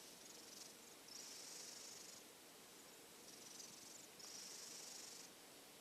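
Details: Silver tabby cat, listless after a cold and not eating yet, asleep in a cosy hot-dog bed; two pairs of soft, hissing snore breaths, each lasting about a second, separated by quiet pauses.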